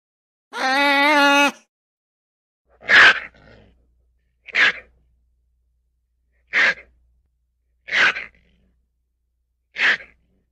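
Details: Ferret giving one short harmonic, whining cry, followed by five sharp, breathy sneeze-like bursts spaced about one to two seconds apart in a quiet setting.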